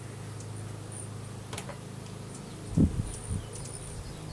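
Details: Russian/Carniolan hybrid honey bees, a three-pound package of about 10,000 workers with one queen, being installed in a new hive in April 2012; a low, steady droning hum throughout, with a brief thump near the end and faint high bird chirps.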